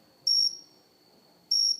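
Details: Cricket on a house plant indoors, recorded up close, giving two bright, shrill chirps of about a quarter second each, separated by a pause of just over a second, in a quiet room.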